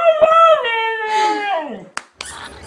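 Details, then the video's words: Female pet dog Mishka talking to her owners: a pitch-bending howl that rises, holds, then sinks over nearly two seconds. Short clicks and rustling follow. "Funny dogs talking to owners"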